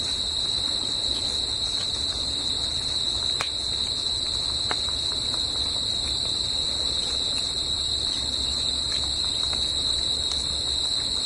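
Crickets trill steadily, a high, unbroken ringing chorus with no pauses.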